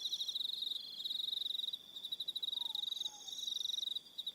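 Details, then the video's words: High rapid cricket trills on an evening on Aroha Island, New Zealand, pulsing about three times a second in loudness, with a second shrill trill starting and stopping and two faint lower whistled notes midway. "Relaxing Evening Sound of Crickets"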